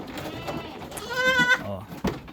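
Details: Goat on a farm raising kids sired by a fullblood Boer buck out of upgraded does: a single bleat with a bright harmonic stack. It wavers slightly and rises at its end, sandwiched between bursts of human speech and a sharp knock.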